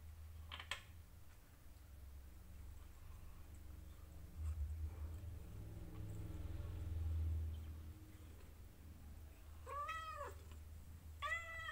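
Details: Day sixteen with a litter of four kittens indoors; mostly low rumbling handling noise, then two short high rising-and-falling kitten mews near the end, a second apart.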